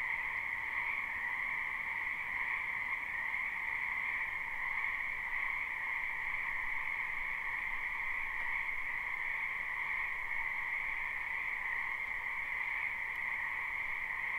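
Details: Spring wetland frog chorus, recorded live with no looping: many frogs croak together in an unbroken, even wall of buzzing trills at two stacked pitches, slightly quieter overall, with no other sounds clearly present.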